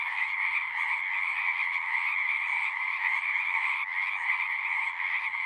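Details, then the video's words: Frogs singing in a dense chorus at a pond in a horse pasture, recorded on a Zoom 6; a steady, shimmering wall of trilled calls in two bands, mid and higher pitched, with no pauses and no other sounds. "Frogs singing"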